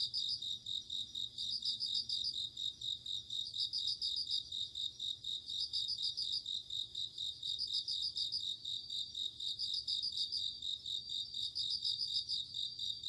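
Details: Autumn night atmosphere of singing insects, bell crickets and crickets together: repeated bursts of quick high pulsed trills roughly every two seconds layered on a constant bright ringing tone.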